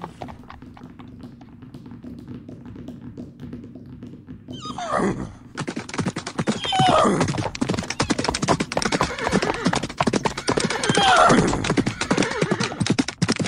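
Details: Two horses fighting: a short falling whinny cuts in over thudding hoof clatter, followed by scattered harsh squeals amid continuous rapid stamping and scuffling.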